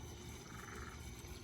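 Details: A Cuban tree frog, one of many around a house garden pond just after light rain, gives a brief, raspy, snore-like croak over a low outdoor rumble.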